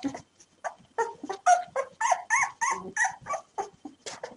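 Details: Five three-day-old puppies, found abandoned after birth, whimpering while waiting to be hand fed milk; a busy overlapping chorus of short squeaky whines and yelps, several each second, pitched and wavering.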